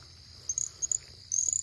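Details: Little Grass Frog, North America's smallest frog at under an inch long, calling in the wild at night in central Florida: very high, thin chirps in brief bursts, three within under two seconds, over a steady high insect drone.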